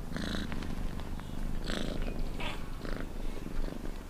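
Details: Close, loud cat purr: a throbbing low drone with quick breathy pulses every half second or so across a few seconds.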